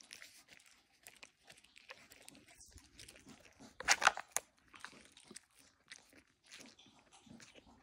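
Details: Siberian huskies eating Icelandic cod skin treats: dry, irregular crunching and chewing clicks, quiet at first, then a louder burst of crisp crunches a little before the middle, fading back to soft gnawing.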